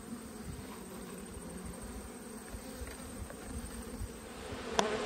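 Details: Honey bees humming at their hives in autumn, heard during an inspection of twelve colonies, one of which had swarmed and raised a new queen; a steady low drone with a soft tonal band, quiet and even throughout, with one brief sharp click near the end.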